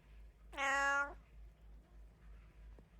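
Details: A domestic cat, one of three kept as pets, gives a single drawn-out meow of about half a second with rich even harmonics in a quiet room; a soft tap follows near the end.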